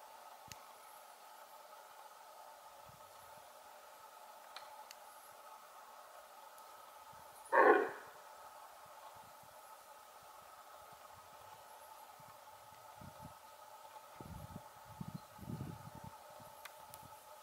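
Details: Female red deer giving her alarm signal, a call likened to a large dog's bark: one short, harsh, loud bark midway through, otherwise quiet apart from a steady background hum and a few soft low thumps near the end.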